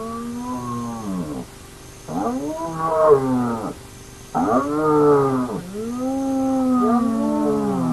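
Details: Hyena at an active den of the Naledi clan: a series of four long, rich moaning calls, each rising then sagging in pitch, separated by short pauses, over a faint steady hum and soft repeated high ticks.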